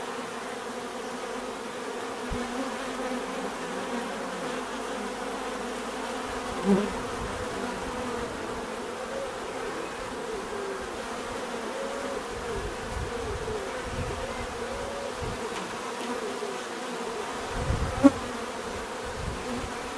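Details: Bees humming in a softer continuous buzz, joined by low rumbling and a few brief knocks or clicks near the middle and the end.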